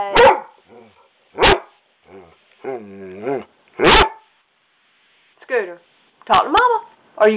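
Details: Pet dog Skooter talks back to his owner: short barks alternate with drawn-out, wavering whine-like moans, while a woman's voice speaks to him between the sounds.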